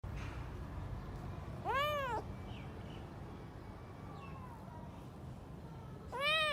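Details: Stray cats asking for food to silence their hunger: two arched, harmonic meows, one near two seconds and another at the end, over a low steady background rumble with faint quieter mews between.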